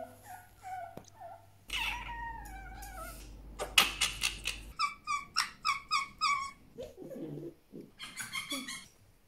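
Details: Indoors, the pet fennec fox Djinn makes wavering whines that give way to a rapid chattering run of sharp squeaks, roughly four per second, then a few softer grumbles and another quick burst.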